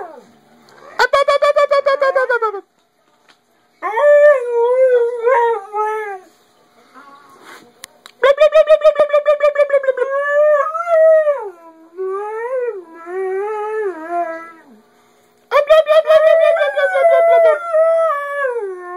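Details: Part-husky dog howling at its owner as its way of talking: loud, harmonic-rich yodelling howls near 500–700, wavering up and down, in bursts separated by short silences, some starting with quick pulsed yelps.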